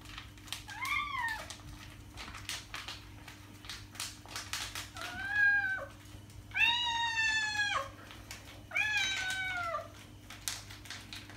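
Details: Domestic cat meowing, made to attract other cats: four drawn-out harmonic meows, the later ones louder and descending at the end, with a steady low electrical hum beneath.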